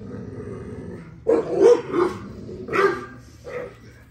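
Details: A male puppy hanging out with its father dog; after a second of near quiet, a cluster of rough barks and growly yaps, then a sharp bark and a fainter final one.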